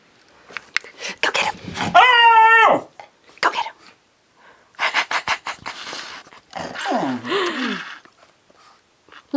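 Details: Lady the lemon beagle, indoors and complaining about the other dogs: a drawn-out whining howl with bright stacked overtones, then clusters of sharp barks and a wavering, falling-and-rising yowl near the end.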